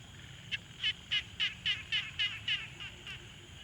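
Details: Frog calling at a quiet pond, recorded in the field with a Tascam Portacapture X6: nine crisp, raspy pulsed notes in a steady run, roughly three per second, over a faint low background hum.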